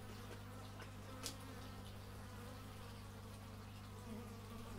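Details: Bees recorded in stereo with an x/y microphone outdoors: a steady, droning buzz with low humming tones underneath, a brief sharp click partway through, and a constant low background hum.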